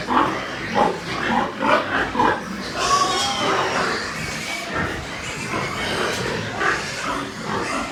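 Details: Pig farm in Nepal with white pigs: a rapid run of short rough grunts in the first seconds, followed by longer, harsher squealing bursts and continuous farmyard noise.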